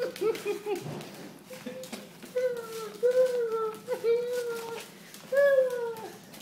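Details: Female Italian greyhound Bella, excited when her owners appear, gives drawn-out high whines that dip and level off, four or five in a row about a second apart, indoors with faint room noise.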